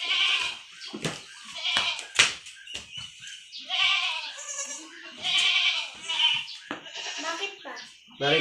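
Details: Kid goats bleating during iron injections: four or five tremulous, high-pitched cries spread across several seconds, interleaved with human talking, clicks and handling sounds.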